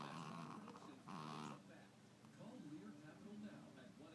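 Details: A sleeping Chihuahua, said to snore as loud as some humans and possibly to have sleep apnea, gives a rasping, buzzy snore in the first second and a half, then quieter breathing in a still room.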